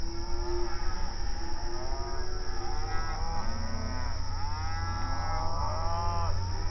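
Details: Out on an open range pasture, cattle moo to one another while grazing; a few soft arched moos in the middle and end, partly overlapping, with a strong low rumble and steady high whine throughout.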